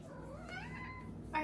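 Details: A 4-month-old female Maine Coon kitten gives a soft trill that rises smoothly and then levels off.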